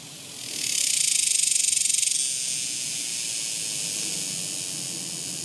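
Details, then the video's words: Cicadas singing in summer: a dense, high, hissing buzz swells loudly for about a second and a half, then settles into a steady, slightly softer continuous drone. "Cicadas! The sounds of Summer!"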